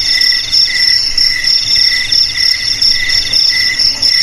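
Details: Cricket chirping steadily, a shrill pulsed trill in bright layered tones, pulses swelling and fading in short bursts about every half second, with no other sounds.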